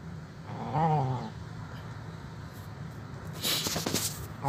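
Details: Old feral stray cat, very hungry, begging for food at a doorstep; a single wavering meow near the start, then clattering and rustling noises toward the end.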